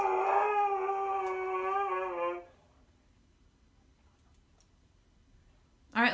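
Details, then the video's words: Siberian Husky Zeus, too stubborn to go walking, gives a falling howl of about two and a half seconds, followed by near silence and a short burst at the end. "Husky terco muestra un lado dramático mientras protesta por caminar"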